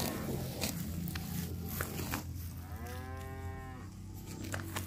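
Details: Grazing cattle wandering a fresh grassy park: one clear, rounded moo about a second long arches up and down, preceded by loud munching, crackling and steady low-pitched background rumble.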